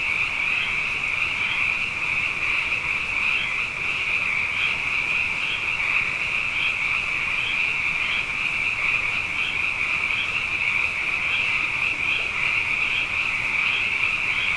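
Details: Frogs in great numbers after back-to-back wet years fill the night with a steady, dense chorus; countless high-pitched trills blend into one sustained hum, with brief brighter pulses recurring through it.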